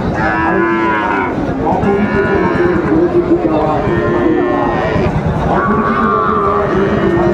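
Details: Sahiwal bull calves at Raniganj cattle market, Dinajpur, Bangladesh, 21 March 2024; drawn-out harmonic moos rise and fall across the clip over a steady hum of crowd chatter and market bustle.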